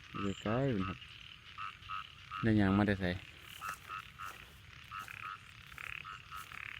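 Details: Rice-field frogs in Thailand after a night of heavy rain, giving two loud, deep, wavering harmonic croaks over a background chorus of short, quick, repeated pulsed calls.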